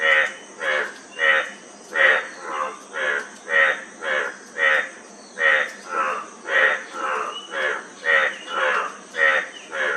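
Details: A frog repeats short, rasping, harmonic croaks without a break, roughly two per second, alternating slightly higher and lower notes, with a steady high-pitched hiss behind them.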